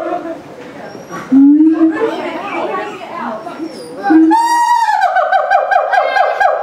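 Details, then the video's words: Siamangs in Auckland Zoo, September 11, 2012, making a commotion audible zoo-wide: crowd chatter with short low hoots, then a sudden loud rising call breaking into a rapidly pulsing, quavering scream. "Siamangs in Auckland Zoo going crazy & scaring kids"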